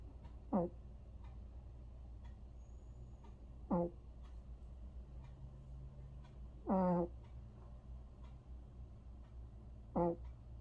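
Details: Vere the cat snoring while asleep indoors: four short, low, voiced snorts with a stacked harmonic tone, some sliding downward, roughly every three seconds over a steady low hum.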